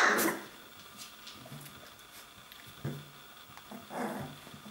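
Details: Playing puppies, 21 days old, practising growling and barking; a loud high yelp opens, followed by quiet rustling and two softer, throaty growl-barks spaced about a second apart.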